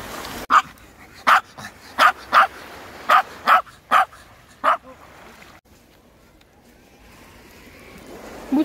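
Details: Dubu, a ten-year-old Maltese recovering from surgery, seeing the sea for the first time at Uljin, South Korea: eight sharp, short barks in quick irregular succession, then quieter surf and wind, with a woman speaking Korean nearby.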